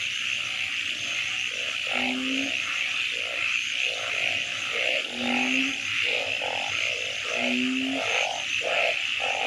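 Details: Several frog species calling at night: short pulsed croaks repeated quickly, with a clear low tonal note about every two and a half seconds, over a steady high buzz of night insects.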